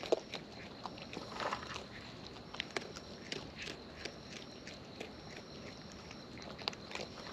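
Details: Close-up of wild raccoons feeding: quiet, sparse bites and crunches, a few louder clicks standing out over a low background hiss.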